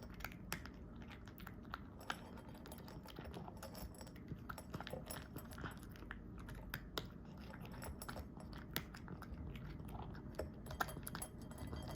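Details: Indoor chewing and crunching noises with soft clicks and low room rumble, no animal call heard.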